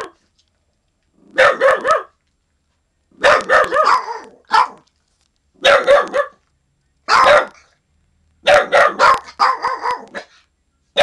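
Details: Guarding dog Little Man, not a year old, warning of an unwelcome visitor in the yard; rapid bursts of two or three harmonic barks grouped together, repeated through the clip with short silences between.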